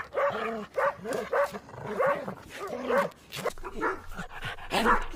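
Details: Dog barking steadily, a string of short, gruff barks about two to three per second with slightly uneven spacing, some louder and some softer.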